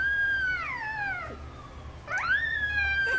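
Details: Chihuahua: a long, wavering tonal howl-whine that slides down over about a second, pauses, then rises sharply and holds a steady high note with faint harmonics; quiet low hum underneath.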